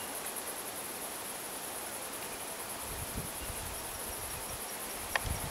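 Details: Rural cicada chorus: an unbroken, shrill high-pitched buzz with a rapid shimmering pulse throughout, joined by low thumping rustles and a sharp click near the end.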